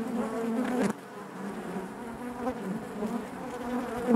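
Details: Honey bees droning within the hive: a thick, even buzz that drops briefly in loudness after a sharp tap, then resumes and builds toward a close, louder buzz at the end.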